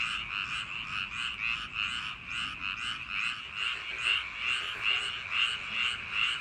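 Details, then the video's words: Many frogs croaking together in paddy fields on a summer night, quick pulsed calls repeating a little over twice a second in a dense, unbroken, ringing chorus. "여름밤 논두렁개구리소리"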